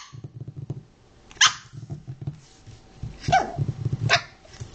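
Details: Mixed-breed puppies of Lilly, a Chinese Crested, Pekingese and Fox Terrier cross, giving three short, sharp yips spread over a few seconds, with steady low rumbling and shuffling noises underneath.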